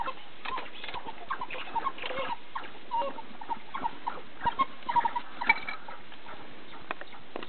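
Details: An African wild dog pack feeding on a fresh kudu kill gives busy, overlapping high twittering chirps and squeaks in quick, irregular bursts.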